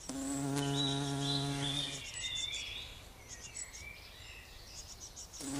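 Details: Queen heath bumblebee dusted with pollen while feeding on nectar at a pink dead nettle. Deep humming buzz for two seconds, then high chirping birdsong, and the drone returns briefly at the end.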